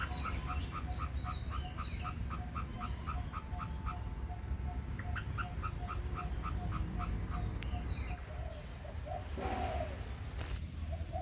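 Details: At its nest an Indochinese ground squirrel chips rhythmically for several seconds before the calls thin out, with a steady low ticking and rustling noises heard near the end.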